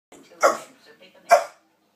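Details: Pet dog giving a hoarse bark that sounds like coughing: two short, rough, broadband bursts about a second apart, with faint low voices in a small room between them.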